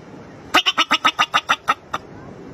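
A bobak marmot gives a rapid run of sharp, harsh chirps, about eight per second.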